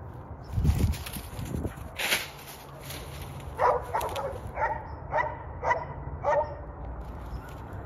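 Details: A female Bull Terrier playing fetch in a wooded area gives a series of short, sharp barks, with a few thumps and rustles outdoors.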